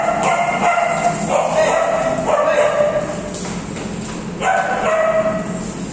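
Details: Chloe the Alaskan Malamute in company with her friends, producing rich, mid-pitched woo-woo vocalizing in long wavering phrases, one after another with barely a pause, and a short clatter midway.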